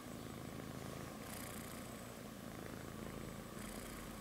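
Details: Baby cat asleep on its mother's belly, giving a steady, close, low purr that swells into airy breaths roughly every two seconds.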